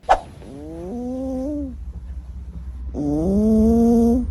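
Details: Snoring cat asleep, among the funniest snorers: two drawn-out, voiced snores with a rising, wavering tone, each lasting about a second, separated by a quiet pause, with a low steady hum underneath.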